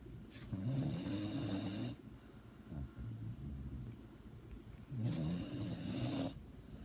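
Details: A sleeping dog snores, its low rasping inhalations coming in two long bursts several seconds apart, with quieter wheezy breathing between them.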